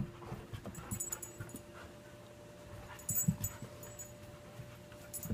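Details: Ava, a five-year-old shepherd mix, and Ainsley, a two-year-old rescued husky, at play: quick breathy huffs and pants in short clusters, a brief louder scuffle midway, with a constant faint mechanical hum behind.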